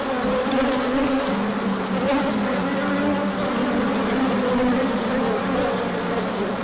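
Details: Many bees buzzing during a large orientation flight as sunshine follows a colder spell, 24 March 2024, pollen arriving at the hive later. A thick, unbroken drone with several overlapping pitches that waver and bend gently.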